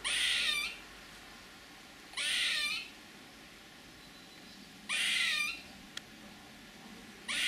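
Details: A squirrel utters loud hoarse, hissing screeches of just over half a second, each ending in a slight downward slide. Three come in full and a fourth starts at the end, with a tiny click between.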